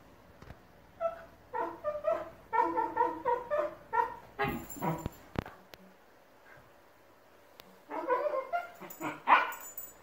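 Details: Two Shiba Inu puppies trade a run of whiny, yodelling vocalisations in rapid back-and-forth bursts while quarrelling over a ball indoors.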